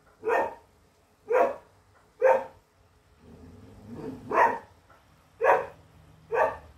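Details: English Setter bitch holding her ground and barking fiercely at an adversary while hunting; seven sharp barks at about one-second intervals, with a low rumbling murmur between the fourth and fifth.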